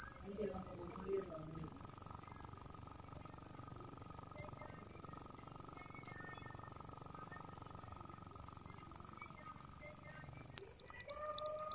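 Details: Cricket. A cricket holds one piercing, very high trill almost without pause for about ten seconds. The tone then cuts off abruptly, leaving a faint lower hum and a few soft background noises.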